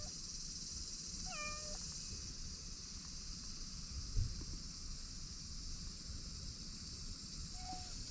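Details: Stray cat in a Japanese park frequented by white cats, answering while being called by name: one clear, steady mid-pitched meow with bright harmonics, then a faint short second mew near the end, over constant insect hum.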